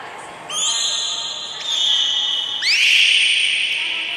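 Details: Belugas Taanya, Nana, Mirai and Nico in a training session at Port of Nagoya Public Aquarium, Japan, 11 July 2020. High, steady whistled tones that hold level, step in pitch, then end in a quick upward sweep, echoing in a large hall.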